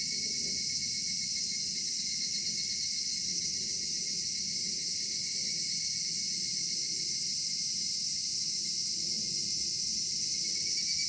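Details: Cedar forest at a summer twilight, cicadas droning: a continuous, piercing high-pitched buzz that never pauses, over a soft low wash of ambient noise.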